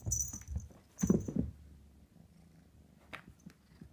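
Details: F3 silver spotted Savannah kitten, a female, purring indoors: a low rumbling purr with a louder burst near the one-second mark, fading to a quieter rumble, with faint high clicks.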